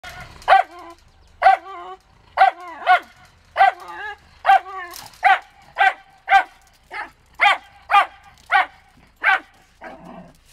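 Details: Diva, a 12-year-old Wire Fox Terrier, barks in protest as party guests leave: a steady series of about fourteen sharp, ringing, mid-pitched barks, roughly one every three-quarters of a second, with near silence between them.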